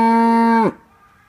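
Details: Cow mooing at a small farm: a single loud, steady, low moo rich in harmonics, held for about two-thirds of a second before its pitch drops sharply and cuts off, leaving near silence.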